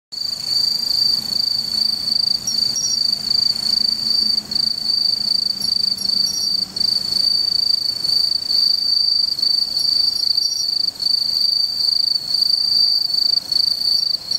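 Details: A bell cricket, recorded in September 2015 in Japan, rings steadily with a bright, high, bell-like trill that barely pauses.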